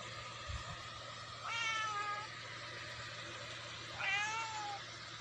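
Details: Pet cat, relaxed and fond of sleeping this way: two drawn-out meows about two and a half seconds apart, each a clear harmonic tone gliding slightly downward, over a low steady hum.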